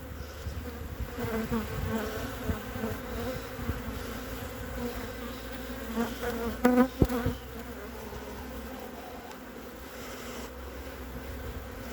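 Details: Honey bee colony on three frames, 14 February 2021, as fondant cakes are put back into the hive: a steady low hum with layered harmonics, broken by brief knocks and handling clatter near the seventh second.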